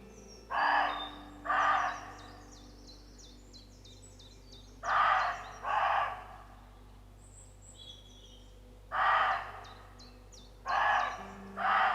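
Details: Roe deer calling to one another give rough, gruff barks, each about half a second long, often in quick pairs with pauses between, in an exchange lasting about 15 minutes. Small birds twitter faintly in the background.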